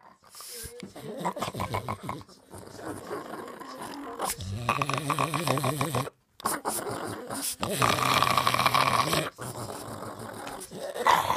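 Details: Boston Terrier playing and refusing to give up, giving low rumbling growls in bursts broken by short pauses, with people talking and laughing nearby.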